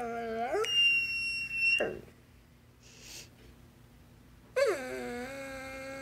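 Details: Talkative basset hound indoors seemingly trying to tell its owner something: a rising howl that jumps into a high whistled squeal, a breathy break, then another swooping howl that climbs and holds.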